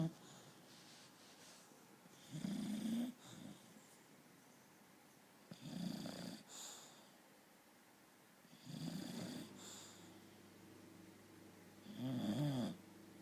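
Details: Chloe, a British bulldog, snores while asleep: raspy, noisy snores return about every three seconds, some carrying a low buzzy rattle, with quiet breathing pauses between them.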